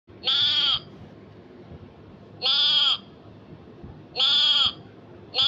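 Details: A grazing goat bleats loudly and nasally, each bleat lasting about half a second with a bright, strained, buzzy tone. The bleats repeat roughly every two seconds, with three full bleats and the start of a fourth over quiet background noise.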